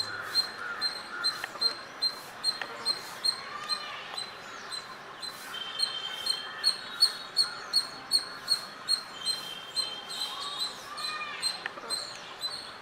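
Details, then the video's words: Squirrel calling and chirping, captured with a Nikon D5300 and 300mm lens: a long run of rapid, fairly regular chirps, a few drawn-out rising notes mixed in, with soft steady background noise throughout. "Squirrel sound | squirrel chirping sounds"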